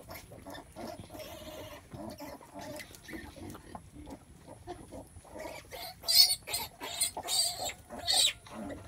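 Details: During farrowing, quiet murmuring grunts come first, then a burst of shrill, harsh squeals from about six seconds on, repeated roughly every half second.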